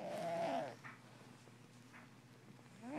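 A sleeping Russian Blue cat snores with a nasal, wavering tone, then starts another breath.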